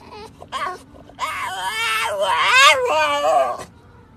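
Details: French Bulldog out walking with its owner, giving a high squeaky, crying whine: a short squeak, then a long wavering, rising and falling squeal lasting about two seconds, heard close up in a quiet setting.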